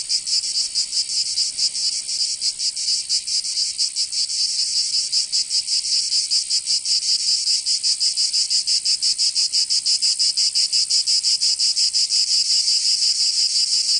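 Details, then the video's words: Summer cicada chorus recorded in Provence in the south of France, a shrill continuous buzz broken into rapid, slightly uneven pulses, roughly three per second, lasting the whole stretch without other noises. "Canto Cigarra 🦗 [ Escuchar les cigarras en verano 10 H]"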